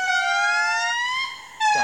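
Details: Indri (Indri indri) in Madagascar forest gives a loud, sustained wail slowly rising in pitch, heard for miles, a territorial call announcing the group's claim to its part of the forest; neighbouring groups answer.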